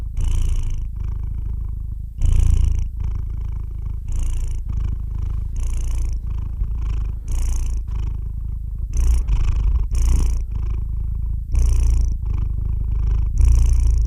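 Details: A cat purrs continuously for over fourteen seconds, the low drone punctuated by frequent short breathy pulses, some quick and uneven, others longer surges every second or two.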